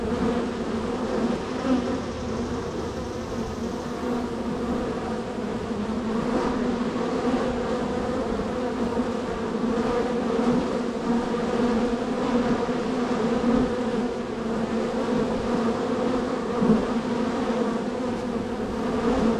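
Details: Constant humming of a honey bee hive, #3 on the row, very active that day with bees entering and leaving; a long, even, low-pitched buzz with faint rises as bees fly close.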